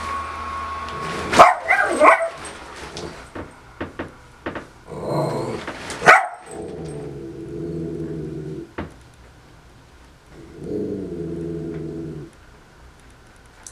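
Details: Female dog reacting badly to her owner wearing a Pikachu costume: a few harsh barks early on, then longer drawn-out tonal whining or growling sounds in two stretches, over a low steady hum.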